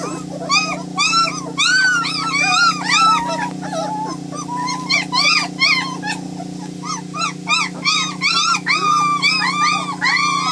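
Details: White German Shepherd puppies, several together, giving a constant stream of high, arched whines and squeals, overlapping and rising then falling, several per second, over a steady low electrical hum.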